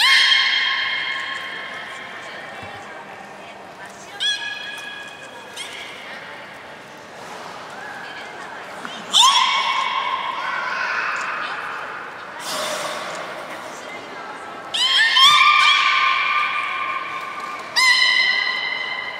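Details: Beluga whale at Port of Nagoya Public Aquarium, Japan, 3 February 2019, feeding and playing: a varied run of harmonic whistles, squeals and chirps, several bursts rising sharply then holding level, with broadband clicky noise between calls.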